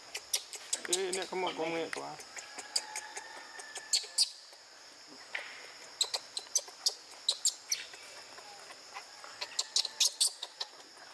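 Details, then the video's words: Young monkey Brady in a park troop screams loudly after being denied milk by his exhausted mother; a harsh, wavering harmonic wail lasting about a second, followed by scattered rustles, taps and faint high calls. "Brady scream loudly when block his milk time"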